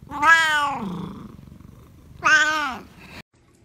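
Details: Domestic cat giving two drawn-out meows about two seconds apart, each opening strongly and sliding downward in pitch, with a low rumbling, purr-like texture filling the gap between them.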